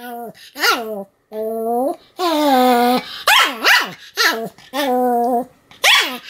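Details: Continuous barking from a Pomeranian: long whiny yelping notes mixed with sharp yaps, alternating drawn-out cries and quick barks across several seconds.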